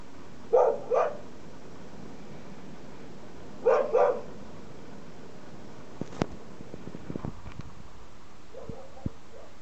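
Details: Female Siberian Husky in her yard, upset by a trash can: two pairs of short, sharp barks about three seconds apart, then quiet with faint clicks, taps and a soft yelp at the end.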